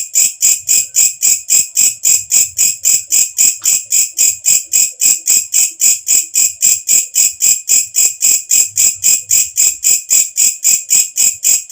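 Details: Walang kecek katydid, a shrill night-calling insect kept as a training sound for cage birds, giving an unbroken train of piercing buzzy chirps, close to four per second, very even in rhythm, with no other sounds.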